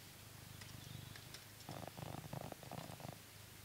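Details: Coconut, a blue British Shorthair cat living in England, purrs while being brushed: a low, steady rumbling purr that grows louder and richer partway through, with faint brushing ticks above.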